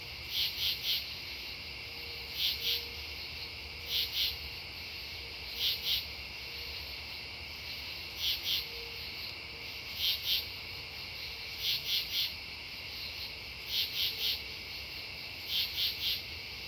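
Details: At Devonwood Conservation Area on the night of September 10, 2015, true katydids give rhythmic scratchy bursts of two to four pulses, repeated every couple of seconds, layered over a continuous shrill insect drone.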